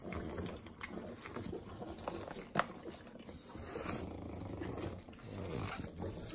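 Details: Three pugs in Southern California eating butter: busy wet licking and lip-smacking with scattered sharp clicks, a loud smack near two and a half seconds, and rumbling snorty breaths in the background.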